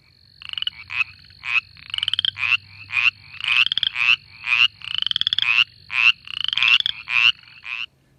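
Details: A Mountain Chorus Frog, a southeastern US species of temporary spring pools, gives quick, very nasal 'reek' trills, about two each second.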